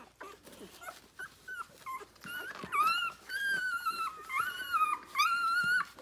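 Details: Nursing six-day-old Rhodesian Ridgeback puppies, litter born 9/3/2020, feeding on their mother; grunts and short squeaks give way to long, steady, high whines held for a second or more, with several pups overlapping.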